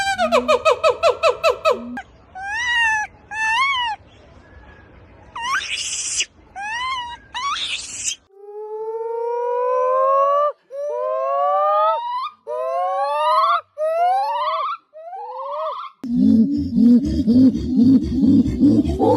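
Several monkeys chirp in turn, giving high harmonic chirps and clear rising whistles, one after another.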